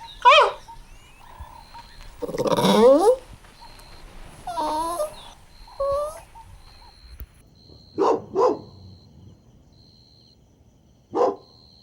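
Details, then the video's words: Playful Golden Retriever puppies on a green lawn, giving a mix of sliding whiny whimpers and squeals followed by short, separate yelping barks, over low background rumble and a faint continuous high tone. "Adorable Golden Retriever Puppies Playing On Lush Green Grass – Cute Dog Video | Dog Sounds"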